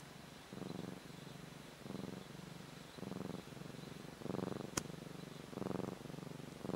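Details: Pet cat purring at sleeping time, one of two cats: a low, throbbing purr in rhythmic surges about once a second, growing slightly louder, with a single sharp click midway.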